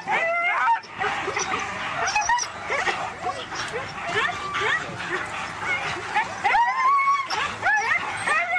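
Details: Several Siberian Huskies at a sled-dog race in East Anglia, excitedly yipping, whining and howling in overlapping rising and falling cries that continue throughout, mixed with the voices of people nearby.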